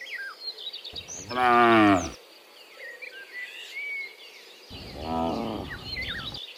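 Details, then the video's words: Cows, part of a herd of dozens walking home from the fields to the pen in the afternoon: two loud, harmonic, slightly wavering moos about three seconds apart, with small birds chirping and whistling in the background. "Dozens of Moo Cows Walking Home from the Fields to the Pen in the Afternoon, Sound of Cows"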